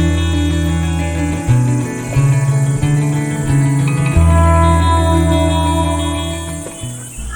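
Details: Plucked acoustic guitar music plays throughout, with no animal sound heard. Strummed low chords and melody lines carry the whole passage.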